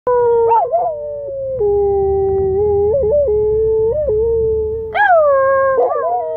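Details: A dog howls like a coyote in long, sustained tones with wavering dips and sudden upward yelps.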